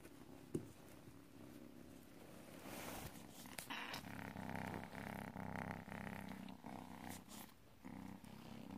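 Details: Purring from an adoptable kitten, a low throbbing rumble that swells and fades, broken by a few brief clicks and rustles over constant background hiss.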